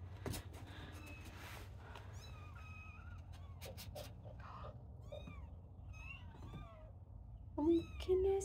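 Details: Small kittens beginning to climb and play. They give frequent short, high mews, some rising and some falling, with a woman speaking softly and a few louder cries at the close.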